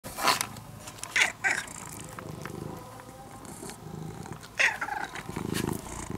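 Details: Brown-and-white former stray cat, cared for over five years and now almost a house cat, purring in a low rumbling drone, broken by several sharp clicks and rustles near the start and middle.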